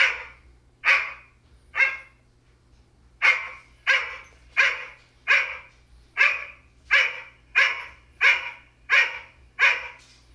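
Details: Male Goldendoodle reacting to his own barking for the first time: about fourteen sharp, forceful barks. Three come first, then a short gap, then a steady run of one bark every two-thirds of a second. Faint low hum behind.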